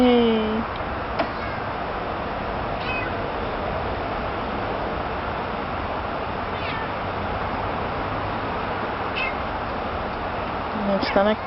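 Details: Lost domestic cat crying in a yard: one drawn-out meow at the start and another near the end, separated by a long stretch of steady traffic-like background noise.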